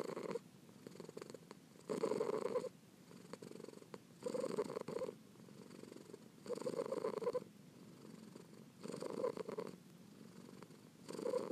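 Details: Steady purring from a kitten, rumbling phrases rising and falling with its breathing roughly every two seconds, each inhale and exhale clearly marked.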